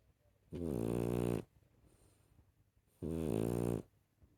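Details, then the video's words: Snoring from a rescue puppy indoors, each breath a harsh rattling buzz lasting about a second, two heard roughly two and a half seconds apart. "share the snoring"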